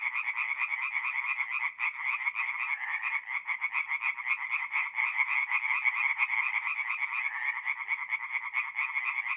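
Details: Singing tree frogs in a forest pond at night, mid-April, north-east Italy: crowded overlapping trains of sharp pulsed croaks, loud and continuous, with individual rattles standing out now and then.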